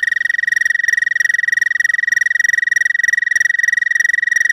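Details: Loud, close American toad mating trill, an evenly pulsed, buzzy high tone sustained throughout with rich overtones and a very steady rapid pulse.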